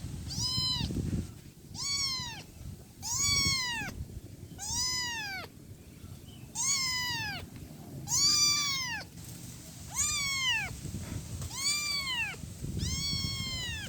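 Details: One-week-old kitten calling its mother with a steady series of eight bright, arched meows, one roughly every one and a half seconds, each rising and dropping in pitch, low rumbling noise underneath.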